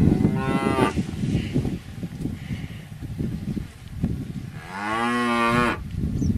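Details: Cows lowing with a brief harmonic moo at the start, a quieter stretch of low rumbling, then a strong arched bellow near the end lasting about a second.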